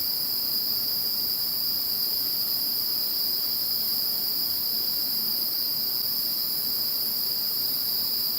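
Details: Insects heard once Typhoon No. 21 had passed, a continuous high ringing chorus of overlapping steady trills holding an even level throughout, soft hiss below.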